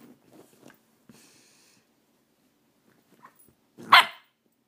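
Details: Faith, a Golden Retriever, chasing a laser pointer: quiet shuffling and faint scrabbling noises, then one sharp, loud bark near the end before silence.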